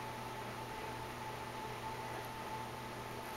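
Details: Constant indoor fan-like hum with a thin steady tone, no animal voice present.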